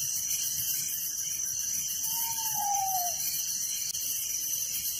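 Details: Incessant high trilling of crickets at night in a village, a rapid pulsing texture at several pitches. One lower, slightly wavering whistle glides downward for about a second midway.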